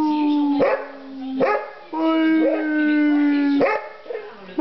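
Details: Basset Hound howling in long, steady, harmonic tones held for about a second each. The howls are broken by short, sharp breaths or yelps, and the pitch stays fairly level.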